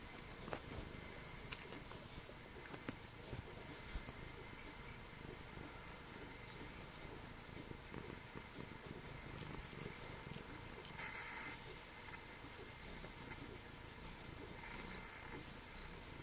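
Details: Continuous low purring from Meshia, a Snowshoe cat using three legs, living at Calico Junction Sanctuary; the soft rhythmic rumble holds for over fifteen seconds, dotted with small clicks and rustles from close handling indoors.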